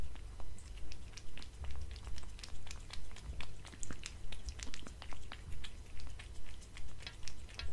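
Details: Indoor cat munching dried fish, creamy treats and kibble from a glass table; close, sharp crunches repeating steadily around twice per second over a faint low room hum.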